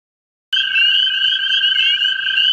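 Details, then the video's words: American toads seeking mates in a central Ohio vernal pool: a steady high musical trill fills the air after half a second of silence, with several overlapping trills at slightly different pitches. "American toads in a vernal pool"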